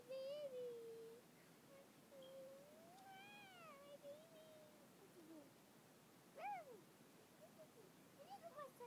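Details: Indoor dog howling over a person's screaming, which he dislikes: long wavering tonal howl that climbs then sags, followed by a sharp upswept yelp near the end and a few short whines.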